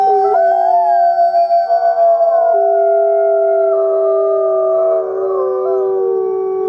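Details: Wolf howls overlapping at two or three pitches. Long, sustained, gently sliding tones blend together into a smooth, mournful harmony, with a slight pulsing early on.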